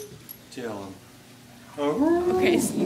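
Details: Charlie, a pet dog, howling to a recorder indoors: a short falling howl, then a longer rising and wavering howl, with people talking over it.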